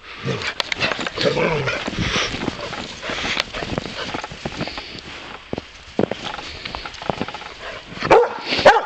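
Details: A Boxer named Bowser, goofing around in snow and eager to keep wrestling, gives short sharp barks mixed with scuffling and crunching snow, ending in a louder yelping burst; a person's voice is heard.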